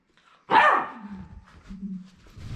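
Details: Three-month-old female Beagle puppy left alone with a sitter, filmed February 2022: one loud sharp bark followed by a low trailing whine, then quiet room noise and a human voice.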